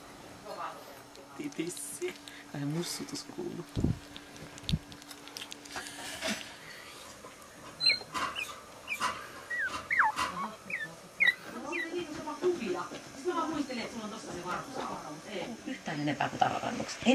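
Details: Week-old Shetland Sheepdog puppies, Shenzi's litter born in February, indoors on 11 February 2009. Thin, high squeaks rise sharply and repeat in clusters through the second half, with Finnish speech and handling noises.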